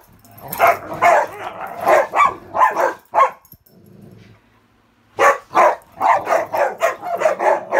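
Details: Ravyn's rare high-toned play bark as she holds the bed against Kyla and Knight indoors, friendly play with no meanness; a string of loud barks, a short near-silent gap, then another quick run of barks.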